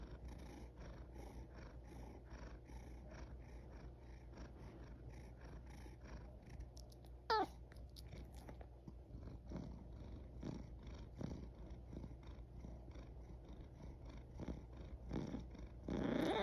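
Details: Single short falling squeak from a yawning pet cat, heard mid-way over a soft constant low hum. It is followed by faint rustling and small clicking noises, then a louder shuffle at the end.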